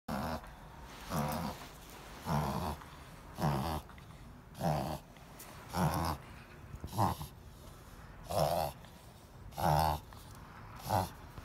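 A Boston Terrier reverse sneezing, with harsh snorting gasps repeated about once a second.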